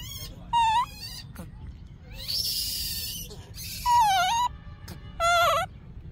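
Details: Baby monkey screaming for milk. Three loud, shrill, wavering cries with a sharp drop at the end are separated by pauses. A higher, harsh squeal comes in the middle, with faint voices in the background.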